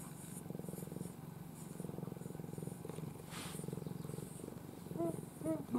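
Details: Affectionate domestic cat, formerly a stray, sleeping in the owner's arms with its face tucked down. Low, steady pulsed purring runs throughout, with a few short voiced sounds near the end.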